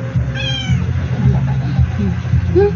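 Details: House cat chasing a dragonfly on the ceiling lets out one short, clear meow, with a fainter, higher squeak near the end, over constant low humming background noise.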